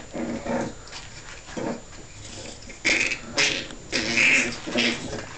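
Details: Staffordshire bull terrier puppies giving short scattered squeaks and whimpers, some sharp high yelps in brief bursts between quieter moments, with low rustling and faint murmurs in the background.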